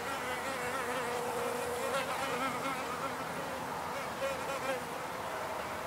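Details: Wild bees in a field recording of pure nature sounds: a continuous humming drone with shifting, wavering tones, several buzzing passes rising and falling, faint background noise pollution.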